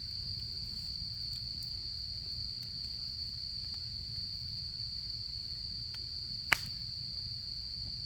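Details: Autumn insects singing beside a campsite fire: one unbroken, high, steady trill runs through the whole stretch, with a single sharp crackle from the burning wood and a soft low rumble underneath.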